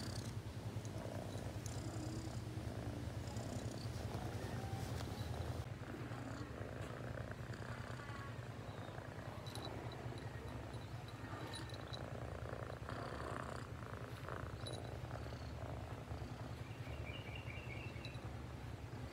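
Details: Steady low purr of a domestic cat, quick throbbing pulses carrying on for the full length, with rustling, soft taps and brief faint tones in the background.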